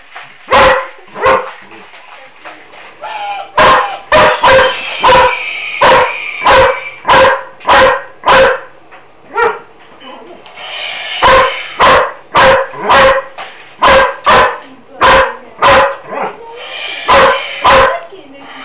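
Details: Roxy, a pet German Shepherd indoors on a kitchen floor, barks at a Roboraptor toy robot: loud, harsh barks in quick bursts, about thirty in all, with short pauses and electronic toy noises between them.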